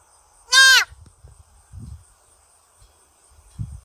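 A roe deer gives a single loud, harsh, hoarse bark, followed by faint low thuds.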